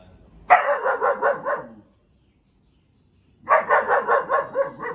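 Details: Rapid, rhythmic puppy barks from a German shepherd aged four months, in two bursts of roughly six to eight yaps each, separated by a short silence.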